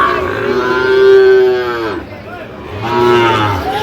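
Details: Sahiwal cattle at a market in Barisal, Bangladesh, 12 September 2025. Two long, full moos, the first held about two seconds before falling away, the second shorter after a brief pause, with little background talk.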